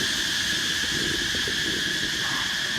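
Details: A loud, unbroken insect chorus in hot rural north-east Thailand drones in steady high-pitched bands, louder than passing cars, with a faint low rumble beneath.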